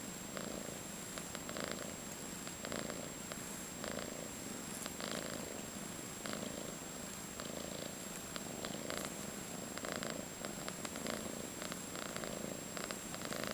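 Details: A five-month-old calico female cat in foster care in San Carlos, California, purring steadily indoors. The low rumbling purr swells and eases in regular breathing cycles about every second or so, with no other sounds.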